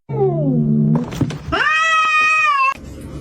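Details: A cat gives a low, drawn-out yowl that slides downward in pitch, then after a short thump a long, steady, high meow held for about a second before breaking off.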